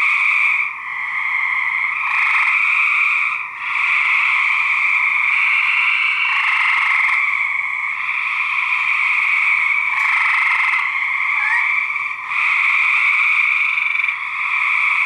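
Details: Recorded for research, male gray treefrogs fighting: steady, loud buzzy trills overlap continuously in two bands, with brief quiet gaps roughly every few seconds and a sharp click near ten seconds.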